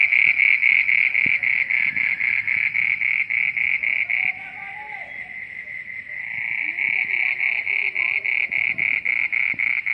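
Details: Frogs at midnight give a rhythmic, high trilling chorus, pulsing evenly about four times a second. It softens midway before building back up, with faint lower warbling tones behind.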